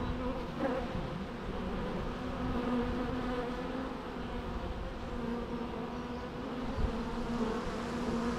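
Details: Bees buzzing naturally, a continuous low, rich drone with layered harmonic bands that barely waver in loudness across the whole stretch.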